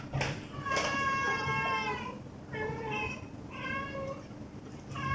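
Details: Rescued, fully indoor house cat after taking one pill, meowing repeatedly in a small room: about five short-to-medium meows, one longer and drawn-out, separated by brief pauses, over a light rustling background.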